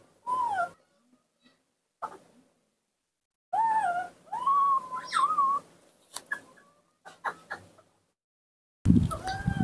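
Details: Nomi, a young hand-reared monkey playing alone in a yard's dirt, cries in shrill whistled notes, one long wavering wail in the middle, before a burst of loud low rustling noise at the end.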